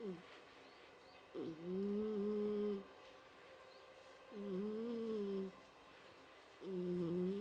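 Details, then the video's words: Mike, a pet house cat, snoring: tonal, slightly wavering drawn-out snores lasting about one to one and a half seconds, repeating roughly every two and a half to three seconds over a quiet steady room hiss. "家の猫ちゃん ミケさんのいびき"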